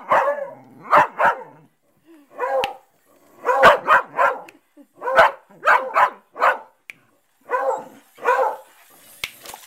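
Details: In Rockport, a dog barks at voice-controlled robotic crabs in quick volleys of two or three sharp, mid-pitched barks, with short pauses between them.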